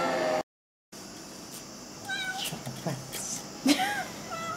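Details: Cat at night trying to get in through a window covered by a mosquito net; short drawn-out meows, one falling call and a later higher call, with people talking nearby and a brief dropout in the sound.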